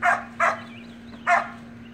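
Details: Playful Samoyed puppies in a pool let out three bright, short barks, two close together and one after a gap, with a faint thin whine between them and a low hum.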